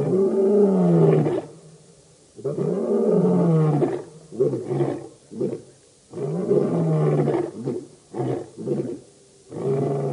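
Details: Roaring by the Birmingham Boys, a lion coalition at a dam in Djuma Game Reserve, Sabi Sand, South Africa, in August 2016; two long deep roars, each followed by a series of short grunting roars.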